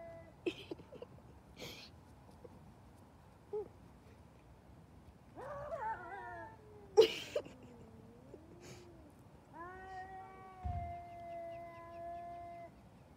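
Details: Cats in a fight: scattered sharp hisses and spits, a short rising squall, then a bending, moaning growl and a long level drawn-out yowl near the end, with quiet gaps and faint room noise between outbursts.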